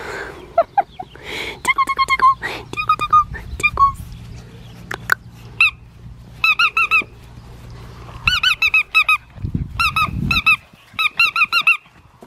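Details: Black tri male Australian Shepherd puppy, Henryetta's male number 3, being tickled: high squeaky whimpers and yips in quick bursts with clear harmonic stacks, growing into rapid repeated squeals toward the end, with a low hum underneath.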